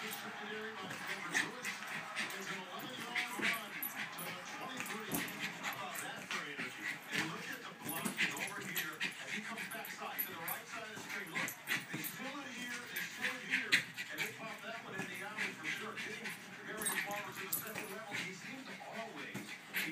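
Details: Jack Russell Terrier named Betsy at balloon play, with a steady run of thin whining whimpers and sharp yips alongside squeaky balloon rubbing and constant human chatter.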